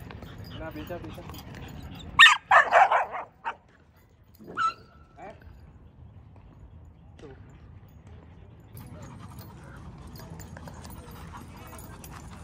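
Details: On a return visit to an old dog park, 26 November 2023, a dog lets out a burst of three or four loud barks early on, then a short yip, with quiet Mandarin speech before and low background rumble after.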